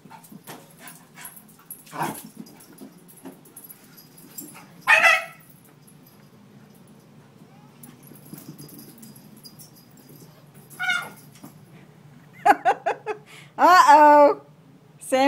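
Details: Australian Cattle Dog cross Scout (half Red Heeler, quarter Alaskan Malamute, quarter Schipperke) playing indoors with Sami: scattered quiet stretches broken by sudden loud harmonic barks and growling yelps, clustering near the end, with a person talking.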